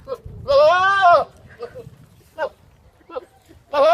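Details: Goat bleating: one loud, rich, slightly arching cry lasting under a second, a few faint short sounds and murmurs in between, then another loud bleat starting at the end.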